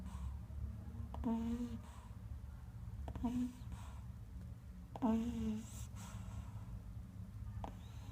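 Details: Sleeping pug snoring indoors, three nasal, tonal snores each about half a second long, spaced roughly two seconds apart over a steady low room hum.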